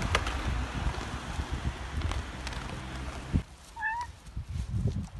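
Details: A cat eating food together with dogs gives one short, clear meow, steady then slightly rising, about two-thirds of the way through, after a stretch of rustling and munching noise; low scuffling follows.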